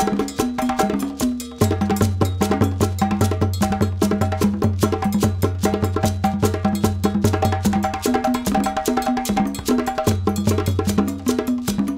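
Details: Upbeat percussive music with wood-block taps, drums and a looping melodic line fills the whole stretch, with no animal voices.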